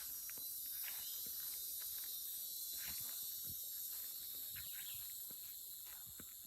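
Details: Loud insect chorus along a country road through woods, heard while walking a dog: a dense, steady, shrill high hiss with a bright whine on top, continuous throughout, with soft footsteps crunching beneath.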